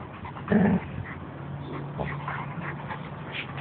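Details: Pet dogs Ciro, a white Italian sheepdog, and Oly, a black Labrador, wrestling together: one loud, short growling yelp, followed by low rumbling growls and panting.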